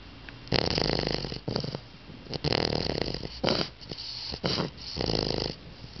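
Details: Bunk, a pet dog, snoring loudly while asleep indoors in a small room: harsh, rasping breaths in bursts about a second long, several in close succession with short quiet gaps.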